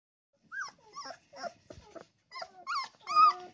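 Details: Puppy, angry that its mother has taken its favourite sleeping corner as the litter outgrows its first box; short whiny yips and whimpers come in irregular bursts, growing louder and higher toward the end.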